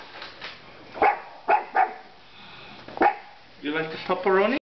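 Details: A house pug, alongside a miniature pinscher, barks at a large stuffed animal waved by a roommate; four loud single barks spaced roughly half a second to a second apart, followed by a man's voice.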